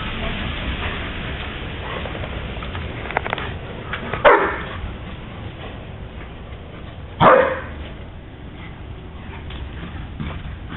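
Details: Two German Shepherds, Scooby and Roscoe, playing in the first snowfall of the year; two loud, separate barks about three seconds apart rise over a steady rushing background of wind-like noise.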